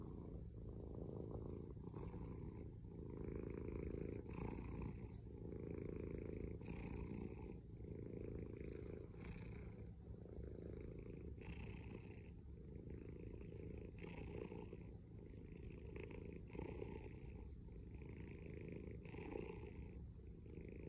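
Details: Loud purring from a male house cat: deep, steady rumble that swells and eases with each breath, roughly every two to three seconds, a close and continuous low vibration with nothing else audible.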